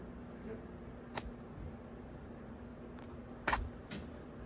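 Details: Pet guinea pig sneezing after a haircut: two short, sharp sneezes, one just after the first second and a stronger one at three and a half seconds, over a steady low room hum.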